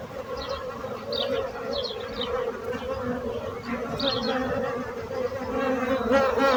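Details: Many bees hum together in a dense, unbroken drone that swells slightly toward the end. Small high bird chirps are scattered over the first four seconds.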